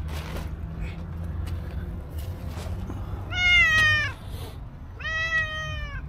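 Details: A stray cow cat, black and white, approaching a person and meowing sweetly: two clear harmonic meows, the first rising then falling, a second shorter one a second later, over low rumbling street background.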